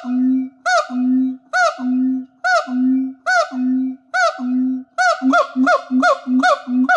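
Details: A siamang at a wildlife shelter in Thailand sings using its gular sac: deep booms alternate with loud, rising-and-falling whoops that speed up toward the end.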